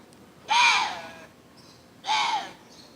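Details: A water deer gives two harsh, rasping, bark-like screams in the dark around 11 pm in Yeongwol, Gangwon Province, South Korea. Each is about a second long with a falling pitch, and a faint high chirp sits between them.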